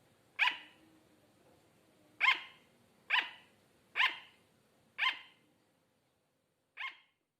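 A sugar glider gives sharp, high yapping barks, six in a row, at uneven intervals of about a second.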